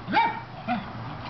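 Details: Cairn terrier on squirrel alert, telling off squirrels: two short harsh barks about half a second apart, followed by a fainter yelp, over a steady low hum.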